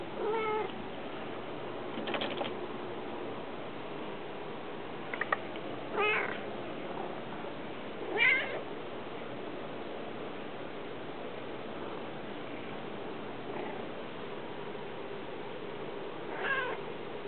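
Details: Smokey and Casper, house cats working to get outdoors, give scattered meows, some brief and some drawn out, spread over about seventeen seconds with quiet gaps and faint knocks between.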